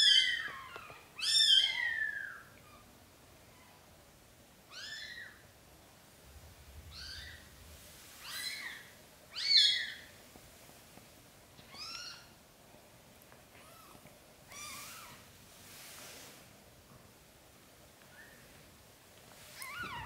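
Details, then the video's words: A black golden British Shorthair mother cat relocates newborn kittens to a small nest; clustered high-pitched mewing, loudest at the start, then thinner single mews spaced a second or more apart. "Mom cat carries newborn kittens into a small nest because she do not like large bed."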